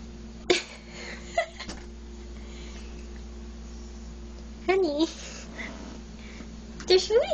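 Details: Sylvia, a pet cat indoors in a dim hall, begs for food although her bowl still holds some; short bending meows come near the start, a longer wavering meow midway and another at the end, with quiet room hum between.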